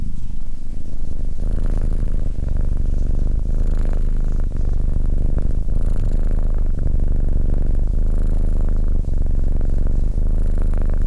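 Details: Deep continuous purring from SimbAs, a calm Abyssinian cat sitting close by, rhythmic low throbbing that swells and dips with each breath, nothing else clearly audible.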